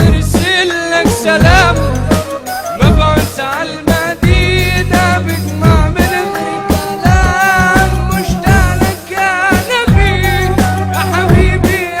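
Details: Upbeat music with a sung vocal line and steady bass-heavy beat throughout, no animal voice.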